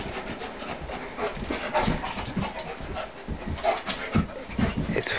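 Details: Play fight between Corona, a 75-pound pitbull, and Warlock, a German Shepherd weighing around 150 pounds; noisy rapid breaths and muffled huffs pulse unevenly, growing louder toward the end amid rustling movement.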